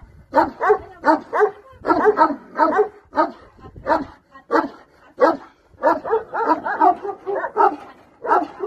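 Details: Bucovina Shepherd dog giving loud, rough barks in quick clusters of two to four, separated by short gaps, steady throughout.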